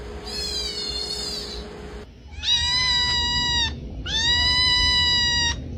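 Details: Male domestic cat, said to be unhappy, giving three drawn-out, level meows of about a second each, the last two loud and strained, against a constant background hum.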